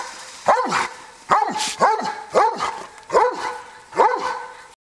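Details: A Dobermann interacting with a horse gives a run of six sharp, tonal barks, each with a quick rise and fall in pitch.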